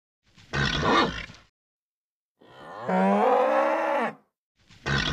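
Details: Nervous bull repeating a pattern of harsh exhaled snorts and a loud, rasping bellow, with another snort starting at the end.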